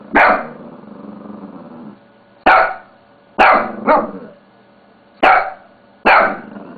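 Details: Pet Shih Tzu dog barking while playing with a mouse pad indoors: five sharp, loud barks, one a quick double bark, spaced about a second apart, the first trailing into a short growl.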